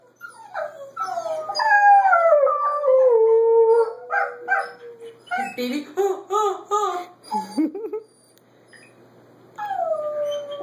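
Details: Pet dogs howling together, filmed 15 March 2013: a Border Collie puppy, an adult Border Collie and an Alaskan Malamute. Long wavering tones fall from high to low, then broken yelping notes follow, with a brief pause and a last rising howl.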